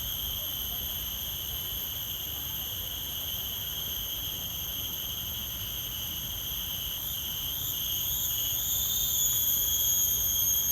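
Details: Continuous shrill droning of forest insects at several pitches. In the last few seconds the sound swells and wavering, rising notes appear among the steady tones, with a faint low rumble underneath.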